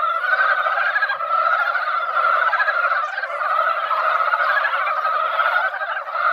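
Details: Mountain frogs gathered at a quiet mountain-village pond after a light rain that barely wet the ground, their yearly spring chorus: a dense, continuous mass of overlapping rapid croaking notes, steady and unbroken throughout.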